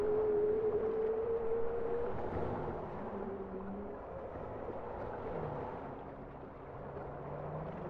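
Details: Bowhead whale song opening with a steady, pure, slightly rising tone lasting about two seconds, then fainter short low moans and swoops beneath a continuous underwater hiss.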